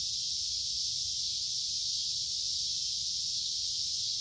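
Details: Cicadas in summer: a steady, unbroken high-pitched buzzing drone that holds the same pitch and loudness throughout, with no other clear sounds.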